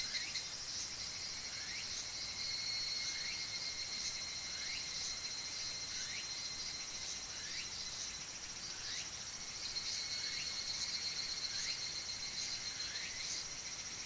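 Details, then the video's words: Higurashi cicadas in Oku-Mikawa, Japan, making a shrill, metallic chorus of overlapping high pulsed calls, with sharp ticks repeated about every half second. Short chirps sliding downward sit beneath a steady ringing hum. "ヒグラシ(Tanna japonensis)の鳴き声"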